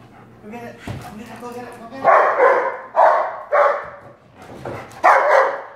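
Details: Black Labrador Retriever Prada, a two-year-old female, plays with balloons; soft human talk at first, then four loud, rough barks spaced about a second apart.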